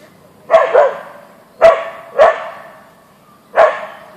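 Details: Siberian Husky named Boeing, an Ausky, confronting a deer in a backyard; loud clipped barks, some paired, spaced about a second apart with brief quiet gaps between.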